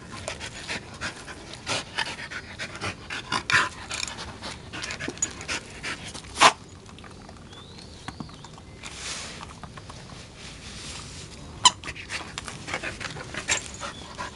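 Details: In Japan, a Norwegian Elkhound born on 31 May 2004 plays with a blue egg, panting in short rasping breaths with pauses, broken by occasional sharp knocks and a faint high squeak from the toy.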